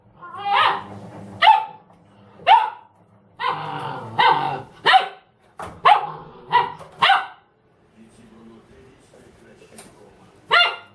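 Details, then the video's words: Dobermann barking at a washing machine indoors: a rapid run of loud, sharp barks in bursts, some doubled, then a pause and one final bark, with a low mechanical hum underneath. "Доберман Рамзес и стиральная машина"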